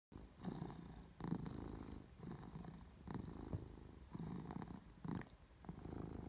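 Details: Domestic cat purring, recorded 22 May 2018; a low, steady rumble swells and fades with each breath roughly every second, heard close up in a quiet setting with no other sounds.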